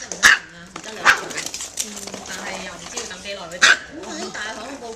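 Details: Micro teacup poodle family kept as pets in Hong Kong, originally from Alabama, acting wildly; three shrill, isolated yaps spaced about a second or more apart, with people talking throughout.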